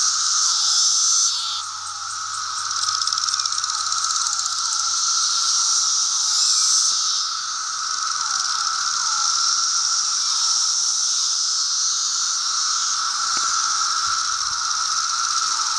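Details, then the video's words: Periodical cicadas of the 17-year Brood II in Virginia in June 2013, gathered in apple trees on a bright day: a dense, continuous high buzzing chorus with a steady lower droning band and rapid pulsing throughout. "Cicadas 17 year Brood II"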